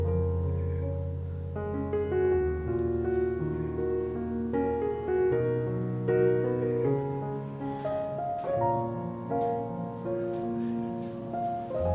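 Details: Gentle, calm piano music plays throughout with no animal sound.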